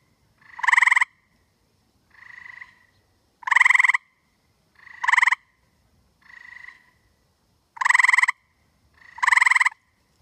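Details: On a humid night in Connecticut, a male tree frog sitting in a tree calls to his mate with loud, buzzy pulsed trills in quick bursts at uneven intervals; softer trills suggest a second, more distant frog answering.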